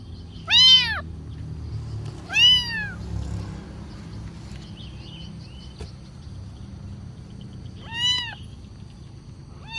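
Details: Kitten begging for food with a few sparse meows, two close together early, then a long gap before another, over a low rumbling background.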